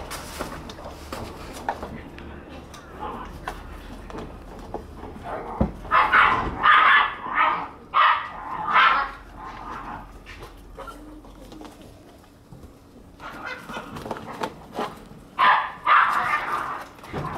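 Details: Shiba Inu puppies born in August and September play outdoors on 28 January; a run of short, high, sharp barks in bursts around the middle and end, with human voices and background noise.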